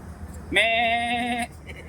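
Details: Goat shortly before being slaughtered for papaitan gives one loud, drawn-out bleat of about a second, steady and wavering with a tremolo, over faint background murmur.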